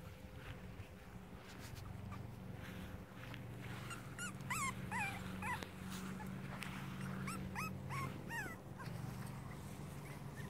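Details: Five-week-old Cavalier King Charles Spaniel puppies of one litter give high, wavering whimpers and yips in quick bursts over a low rumbling background.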